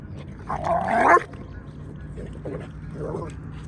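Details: Rhodesian Ridgeback Peaches playing with a friend at a dog park: one loud, rough bark-yelp rising then falling around the first second, followed by two fainter short yips, over low outdoor rumble.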